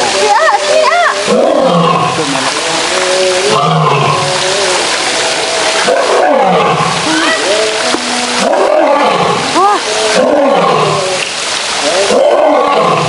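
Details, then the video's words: Male lions at a zoo give a run of deep, rolling roars and grunting calls as part of their daily roaring routine, with human voices mixed in. "Lions Roaring Compilation"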